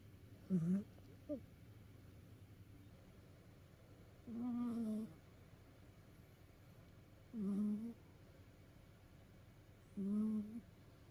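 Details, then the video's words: Snoring of a pet cat worn out from play: a short double snort at the start, then three steady, voiced, humming snores at roughly three-second intervals against a soft indoor hush. "遊び疲れた猫のいびき Snoring of a tired cat."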